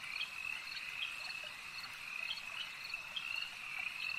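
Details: Many frogs at a lake produce a constant high ringing trill, punctuated by brief sharp pulses that recur roughly every half second over a steady background.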